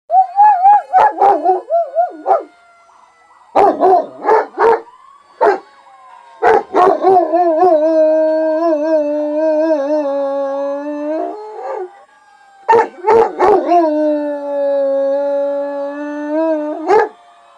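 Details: Pet dog howling along with a fire truck siren played from a recording, long sustained wavering howls with strong harmonics, some broken into short yelping bursts, with pauses between bouts.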